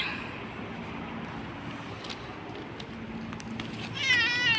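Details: Bobtailed pet cat, described as clever, lets out a single short, high, wavering meow at the very end after a stretch of quiet background hum.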